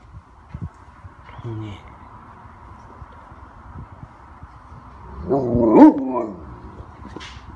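A Great Dane gives a drawn-out, wavering groan that rises and falls, between a person's questions.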